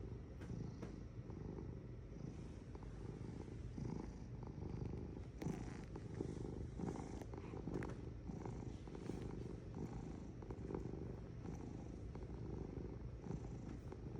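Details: Cat purring continuously, a deep vibrating rumble that swells gently with each breath, with small clicks and light rustling noises.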